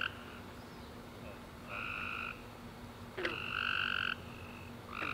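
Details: Chirping tree frogs on a summer night after rain, giving nasal honking notes of varying length, one answered by another, with a sharp click, faint distant calls and a continuous low hum underneath.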